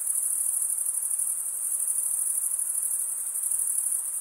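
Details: Crickets chirping by stridulation, males rubbing one wing's toothed vein against the other: a steady, very high-pitched shimmering trill that never pauses, finely pulsed throughout, with no other sounds.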